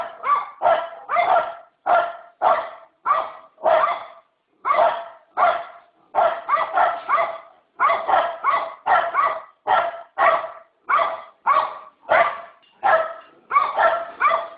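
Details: A dog barks repeatedly in quick doubled and single barks with brief pauses, a continuous loud run lasting about fifteen seconds with no other sounds.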